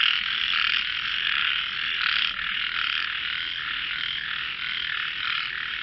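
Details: Many frogs in a described voice competition, calling at once as a thick, continuous rasping chorus with slight swells in loudness and no clear gaps.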